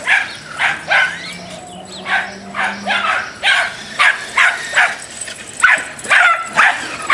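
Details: Dachshund barking in road rage: sharp, yappy barks in quick irregular bursts, about two per second, over a low steady hum.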